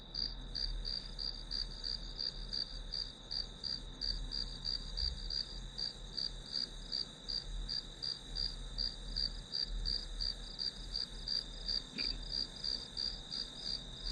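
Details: Grass insect sounds used as study white noise: rapid, even high chirps roughly three per second above a steady shrill tone, with a faint low hum and one soft click near the end.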